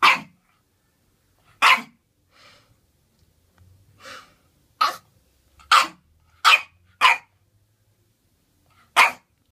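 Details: A Boston Terrier's first bark, apparently wanting a bath: short, sharp barks, several in quick succession.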